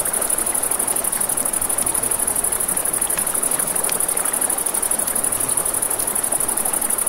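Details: Nighttime riverside crickets by a campfire, their continuous high-pitched ringing trill holding steady throughout, with a broad hiss of flowing water beneath and a few faint crackles from the fire.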